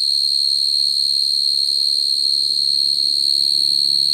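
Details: Field cricket calling for females at night, used to lure crickets into traps: a short burst of continuous high, ringing trill at steady volume over a low background hum.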